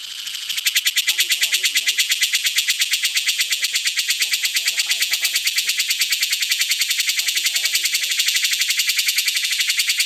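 A cicada's loud, steady buzzing calling song, a fast high-pitched pulsing drone with faint voices behind it.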